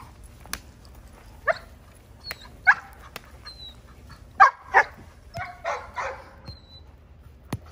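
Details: Female Giant Schnauzer puppy during protection exercises, giving short sharp barks scattered irregularly, some doubled, with faint high squeaks and clicks between them.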